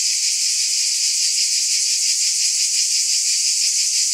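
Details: Steady piercing buzz of cicadas, a constant hiss-like drone with a quick, even pulse and no other noises.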